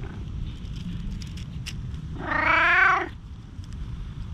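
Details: Stray tabby-and-white cat pleading desperately from the shade of trees; a single drawn-out, harmonic meow lasting just under a second, swelling then fading, over a steady low rumble with a few faint clicks around it.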